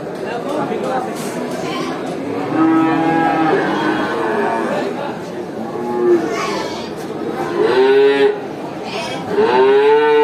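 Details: Cattle at a traditional animal market, several moos from different cows, some short, others rising and bending, louder bursts near the end, with background chatter and crowd noise.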